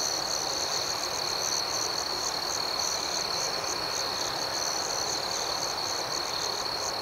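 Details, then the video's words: Nighttime cricket chorus, an unbroken high-pitched trill with a softer, rapidly pulsing layer of chirps above it, even in volume from start to finish, with no other sounds standing out. "Soothing Cricket Sounds"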